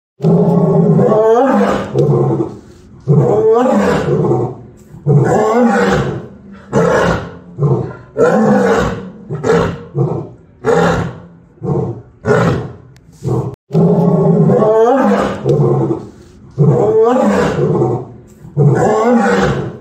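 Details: Lioness roaring in a long series of deep, rough, heavy bellows, each lasting about a second, coming in bursts with short pauses between, the rhythm loosening into shorter grunting roars before rising loud again.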